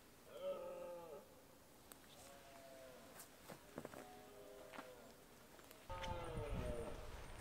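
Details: Red deer stag holding a small harem during the autumn rut in the Scottish Highlands; four drawn-out, moaning roars with stacked harmonics, each about a second long, the last one louder, with rustling in the background.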